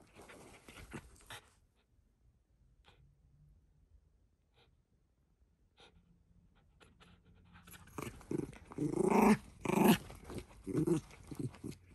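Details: Shiba Inu Ranmaru at play, using fangs and forepaws on a glove held by family; quiet rustling at first, then a run of rising rough growls and breathy huffs in the last four seconds.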